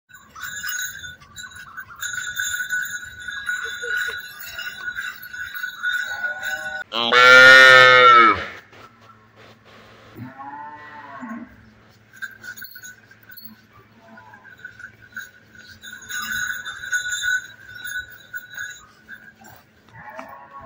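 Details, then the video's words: A young cow calf, out walking with a small child, lets out one loud, high, strained bawl of about a second and a half midway through, with steady tonal background sounds and quieter voices around it. "गाय के बछड़े की आवाज"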